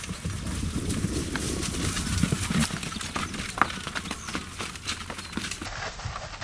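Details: Two wild Konik horses fighting in the Oostvaardersplassen, a wetland nature reserve below sea level between Almere and Lelystad, Netherlands; irregular clattering hoof thuds and scuffling bursts over a steady low wind rumble, with no clear whinny.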